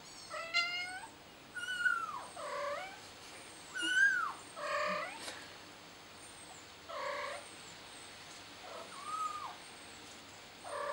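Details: Trapped kitten stuck on a flower pot cries insistently: a run of about eight loud meows over eleven seconds, some rising then falling, others short and strained, with faint high chirping and steady hiss behind.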